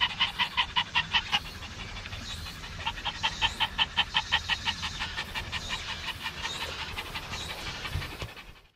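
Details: Maltese at Dolmeori beach in Korea, out by the sea with two other Maltese, panting in fast, breathy bursts; a brief lull after the first second and a half, then steady rapid pants resume before trailing off at the end.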